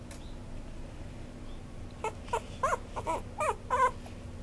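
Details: Maltipoo, a toy poodle and Maltese mix dog: after about two seconds of quiet room hum, a quick run of short, high, wavering yelps and whines, each bending down in pitch, in steady succession to the end.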